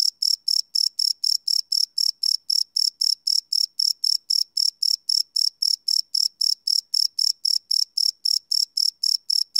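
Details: A cricket calls at night in an unlooped field recording, giving an unbroken run of shrill, even chirps at about four per second throughout, with no other sounds present.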